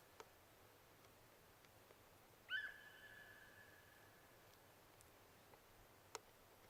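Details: A single deer call: a brief upward-sweeping whistle that settles into a sustained, steady high note and slowly fades. Faint hiss and a couple of isolated clicks surround it.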